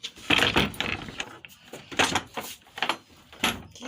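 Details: Bursts of clattering and knocking indoors, with a faint voice, and no clear animal sound.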